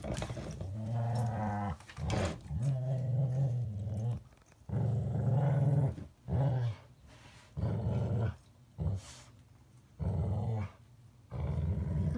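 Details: Playing together inside, a Border Collie cross and a Rottweiler trade deep, rough growls in repeated bursts of one to two seconds, separated by short silences, with occasional thuds.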